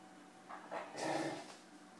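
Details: Two playing dogs, a Bernese Mountain Dog and a Golden Retriever named Marley and Fado, give short breathy huffs, then a louder rough burst with a brief whine near the middle, over a quiet steady background.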